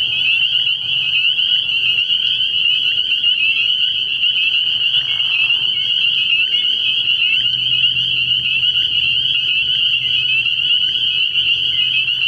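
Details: Night chorus of many spring peepers at a frog pond in early spring: a continuous piercing high-pitched wall of overlapping peeps with brief sharper chirps standing out, and a soft low drone underneath.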